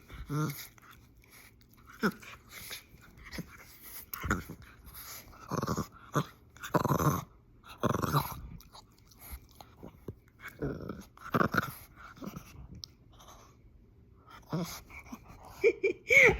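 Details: A French Bulldog, possibly a puppy, gives snorting, grunting growls in short bursts while playfully "attacking" during rough play.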